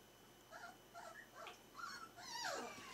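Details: Four-week-old Berger des Pyrenees a Face Rase puppies: a run of short, high whimpering squeaks and yips, about two per second, ending in a louder wavering whine, in a quiet room.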